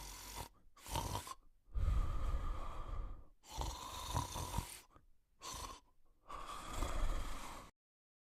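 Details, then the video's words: A sleeping male Cocker Spaniel snores in deep, rasping breaths, each lasting a second or more. "The Male Cocker Spaniel Sleeping & Snoring"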